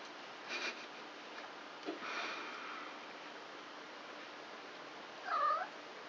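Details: Three-week-old kittens of the cat Krampus, one of a litter of four born on 29 March, playing together indoors at night; a single short arched mew near the end follows faint scuffles and soft earlier cries.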